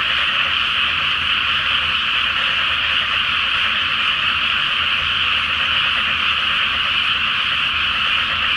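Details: Many frogs croaking together by night in a rice field flooded before planting, full moon reflected on the water; thick, ceaseless trilling chorus holding a level intensity.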